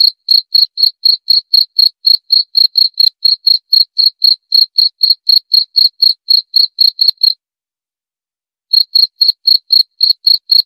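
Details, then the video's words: High, evenly spaced cricket chirps at around four per second, broken by a pause of just over a second before continuing. The sound is used for sleep therapy and as a natural rat repellent. "Suara Jangkrik"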